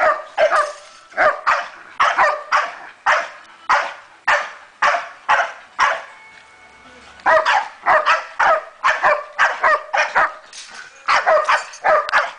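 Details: Thirteen-month-old female Staffordshire bull terrier giving a long run of loud, harsh barks, roughly two per second, with a brief pause midway before the barking resumes.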